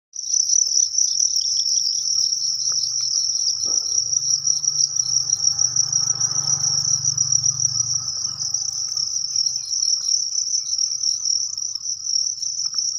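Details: A cricket, from egg-laying crickets kept for sale, chirps in a steady, high-pitched trill that holds on without a break.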